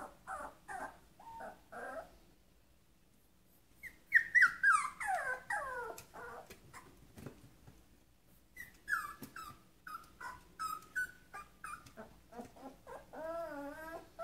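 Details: Shetland Sheepdog puppy crying to go outside, short whimpers, a pause, then a loud burst of sharp falling cries and trembling wavering whines, with clicks between.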